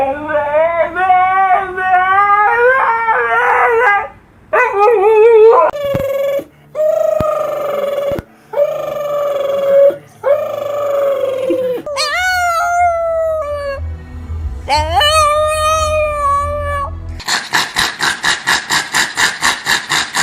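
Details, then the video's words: Dog howling in a sing-song, human-like way: a long series of wavering, tonal howls and whines rising and falling in pitch, with brief gaps, ending in rapid pulsing bursts; background hum and speech. "These dogs made the weirdest sounds ever"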